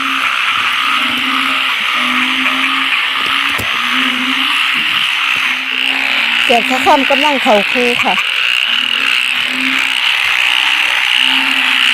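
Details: Croaking frogs known locally as อึ่งเผ่า and อึ่งยาง, at a spot with many people: a steady run of short, low, evenly repeated croaks over a loud shrill chorus, briefly interrupted by a woman's voice near the middle.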